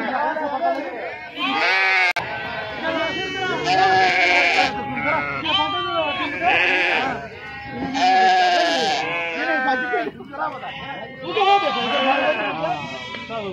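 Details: Sheep unloaded at the Pebbair sheep and goat market bleat often, in quavering calls that overlap, some rising and falling, over steady human chatter and a brief knock.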